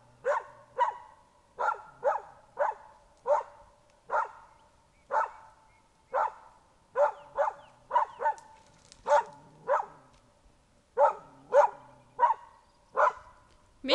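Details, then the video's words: Young dog, tracking an artificial bear scent trail of bearskin and diluted blood, barks warily at a bear suit at the trail's end; steady run of sharp, clipped barks, often in pairs, roughly one to two per second. "Mika loser på "bjønn (bjørn)""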